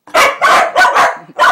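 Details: A cow dog, one of three doing tricks for shrimp cat treats, lets out five sharp, clipped barks in quick succession within under two seconds.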